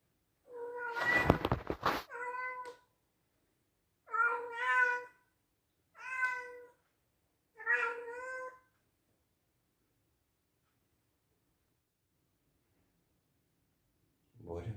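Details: Male Scottish Straight cat born in 2021 meowing loudly: four drawn-out harmonic meows, the first about two seconds long with a rough noisy burst over it, then three shorter ones spaced about two seconds apart, silence, and a low thump at the end.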